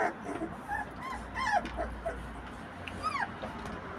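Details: American Pit Bull Terrier puppy giving thin, high, arching whimpers, several short squeaks and a longer falling whine near the end, with light rustling beneath.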